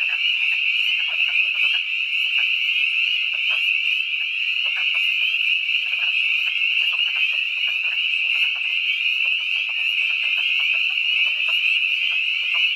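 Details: At twilight on March 11, 2012, in the Catoctin Mountains of Frederick County, Maryland, spring peepers fill the air with a dense, shrill wall of high peeps, with wood frogs clucking beneath.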